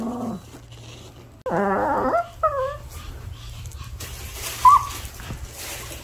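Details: House dog protesting its owner's departure with a low whimper, then a loud, wavering falling whine and two short high yelps, followed by a faint squeak over a steady background hum.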